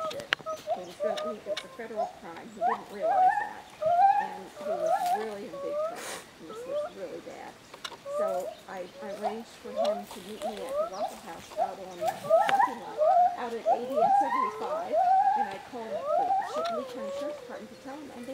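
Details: Female white-handed gibbon, rescued from an animal breeding syndicate and living at a Florida sanctuary, calls while reacting to a young boy. She gives rapid swooping hoots that rise and fall, roughly one each second, with people's voices underneath.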